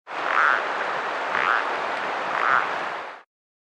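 A foothill yellow-legged frog gives short, grating notes about once a second over steady rushing noise.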